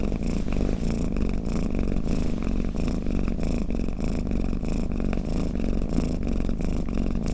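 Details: A cat purrs and snores in a continuous low grumble of quick, regular pulses, loudness swelling softly in waves; nothing else is audible.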